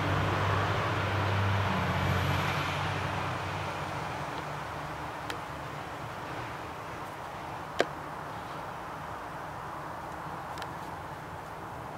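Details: Steady outdoor background rumble like distant traffic, broken by a few sharp clicks, with no animal voices.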